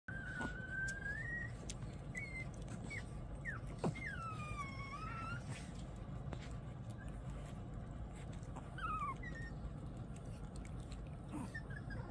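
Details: Small, curious and clingy puppy whining in thin, high whistled whimpers that rise and then sag, some with a bending dip-and-rise, scattered over a steady low background hum with occasional soft knocks.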